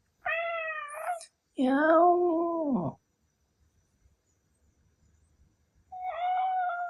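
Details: Indoor male Ragdoll cat, said to be furious when its owner imitates its cry: a short whining meow, a lower imitating voice that falls away, a long pause, then another tonal meow.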